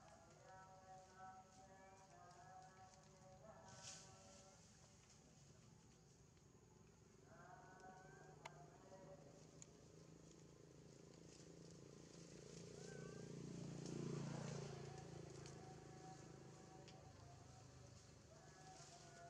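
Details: Baby monkey Janna, injured on the lip, crying from hunger to ask for food: a run of repeated wavering, bleat-like cries stacked with harmonics, then a brief pause and a louder rough murmur near the end.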